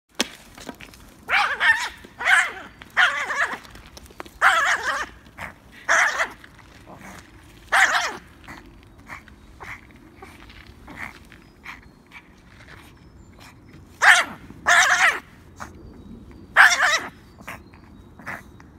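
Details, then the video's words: Peanut, a Yorkshire Terrier, plays at "killing" sticks, giving short high yappy barks and growly bursts in irregular clusters, about a dozen over the stretch, with quiet pauses between. "Peanut the Yorkie “killing” sticks"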